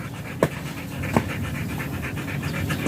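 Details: Panting German Shepherd at a stud session in Nalsian, Manaoag, Pangasinan: rapid breathy huffs repeating steadily, broken by two sharp clicks or knocks, over low background hum.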